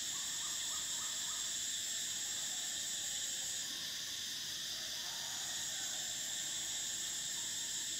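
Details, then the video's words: Summer cicadas drone in a steady, high-pitched shrill buzz that never breaks, while a short run of quick, lower chirping notes sounds early on and faint calls drift underneath. "Cicadas: the sound of summer"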